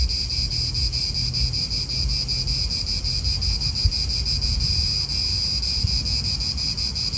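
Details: Cicadas calling in an Italian park: a shrill, continuous high buzz with a faint throbbing pulse, over a strong low rumble of wind and distant cars.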